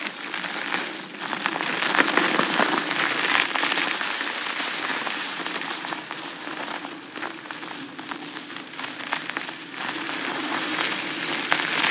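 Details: Dense crackling patter like rain or tyres on gravel, with dull movement noise throughout and no animal voice.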